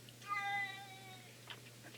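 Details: A male domestic cat "sings", giving one long, loud meow likened to a werewolf, holding a steady tone before it trails off; the owner is unsure what set him off.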